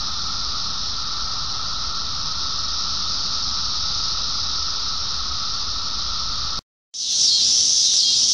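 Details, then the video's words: Cicada chorus as a constant, hissing high drone over a fainter steady lower whistle-like tone, cut off abruptly near the end, then resuming as a sharper, higher-pitched shrill buzz. "金蟬鳴呼 Sound Of Cicadas"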